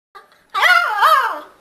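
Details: Beagle puppy, 50 days old, barking for the first time indoors: a faint squeak, then a drawn-out, wavering yelp with two rising-and-falling swells, followed by a person's voice.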